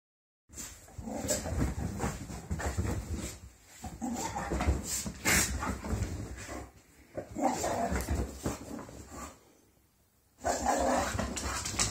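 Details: English Bull Terriers greet each other after their morning walk and breakfast, a daily ritual, with excited whines, whimpers and panting in quick, uneven bursts.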